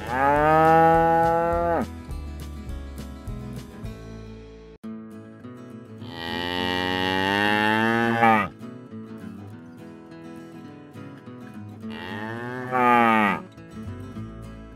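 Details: Cattle at a cattle auction in Brazil, with bulls, cows and calves for sale: three long, loud, harmonic moos, each around two seconds, separated by quieter pauses with faint background noise.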